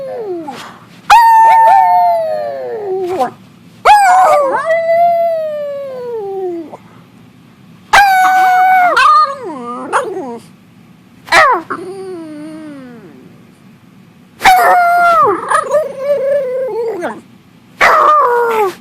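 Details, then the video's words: Domestic dog vocalizing alongside its owner, long wavering howls falling in pitch, several bouts separated by short quiet gaps, a few abrupt bark-like onsets starting each bout. "Barking, howling and making other noises with mom."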